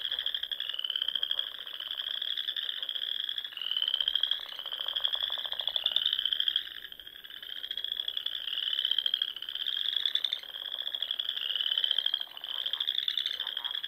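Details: Frogs in full chorus on a spring evening among the Sandhills lakes of Nebraska; rapid, raspy trills overlap in a thick wall of sound, individual callers surging roughly every second with brief lulls.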